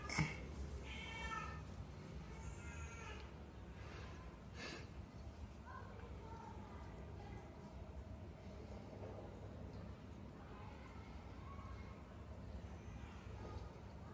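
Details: Reluctant cats in Cambodia being dosed with vitamins, trying to flee; a pair of short harmonic meows early on, followed by fainter, scattered mewing against constant low background rumble.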